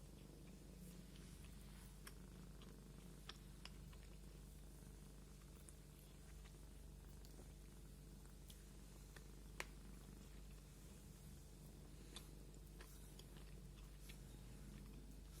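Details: Indoor domestic cat being groomed with a comb, purring in a long continuous low rumble, punctuated by repeated thin clicks and scratches as the comb passes through the fur.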